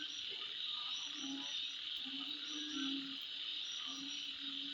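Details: Nighttime insects at midnight keep up a constant high-pitched trilling wall of sound, while a deeper animal gives short low croaking notes about once a second in the background.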